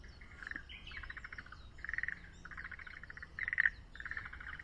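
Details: Forest green tree frog calling at Yokohama Nature Sanctuary, near a pond with tadpoles: short pulsed, rattling bursts in the mid range, about five separate trains in under five seconds, over quiet outdoor background.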